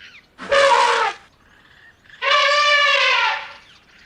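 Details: Brassy, blaring trumpets from an Asian elephant: a blast of about a second, a faint pause with a soft tone, then a longer, steadier trumpet of about a second and a half.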